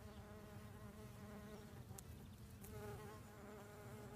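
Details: A buff-tailed bumblebee gives a steady, low, droning buzz with evenly stacked harmonic tones while pollinating an apple orchard in Asturias, Spain.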